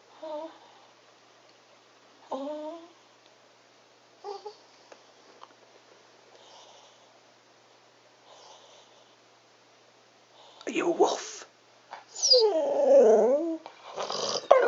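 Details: Molly, a cocker spaniel indoors, performs her wolf impersonation: a few short, faint rising howl-like notes spaced about two seconds apart, then louder, wavering, drawn-out howling with shifting tones near the end.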